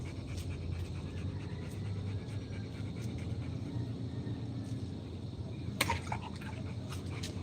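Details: Rottweiler dog panting softly in a rhythmic series of breathy puffs, roughly two to three per second, over a steady low rumble, with a sharp click near the end.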